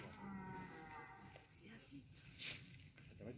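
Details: A red deer stag gives a deep, moaning rutting bellow during the September rut at Espace Rambouillet, Yvelines, on 16 September 2020, about 20 m behind the hinds, rubbing his antlers on the ground; quiet human voices nearby.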